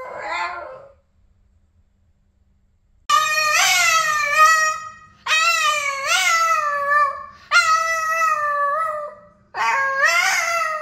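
A Boston Terrier 'sings' in a run of drawn-out howls, each lasting a couple of seconds. The notes are clear and tuneful, sliding up and down with brief pauses between them.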